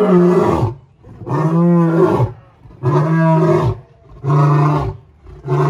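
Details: A male lion at a zoo, kept apart from the females and perhaps lonely, gets up and gives deep, throaty roars in a steady series, each about a second long.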